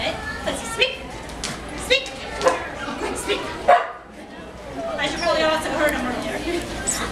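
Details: Keeshond Clancy, excited on stage at the 2014 Maryland Dog Fest talent show, gives several short, sharp barks spread through the clip while a woman keeps talking to the audience.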